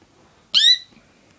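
A Malayan tapir gives one brief, high, whistled squeal that rises slightly and then cuts off.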